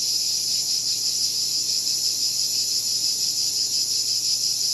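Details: Cicadas calling in a continuous high, shrill buzz with a faint pulsing texture, steady throughout with no other clear sounds.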